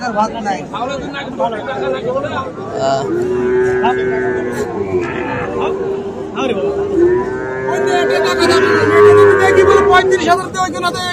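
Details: At Ambari market on 1 December, a Sahiwal bull calf bought by a Chittagong farmer gives a long, steady, drawn-out low moo over several seconds, amid busy market talk and voices.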